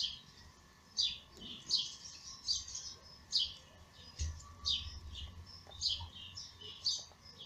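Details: Lady Ginger's newborn kittens, born in May and nursed by their mother, give a run of short, shrill squeaking mews at a brisk, even pace, nearly ten in seven seconds, against a quiet background hum.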